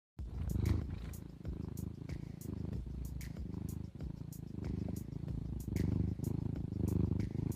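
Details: Domestic cat purring, a sound in the cat's breathing likened to snoring: a steady low rumble with soft rhythmic pulses and faint higher clicks throughout.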